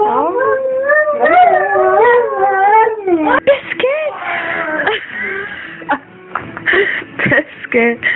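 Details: Pet Rhodesian Ridgeback dog howling or 'singing': wavering, drawn-out tonal howls rising and falling for about three seconds, then broken into shorter yelps and whines mixed with human voices and laughter.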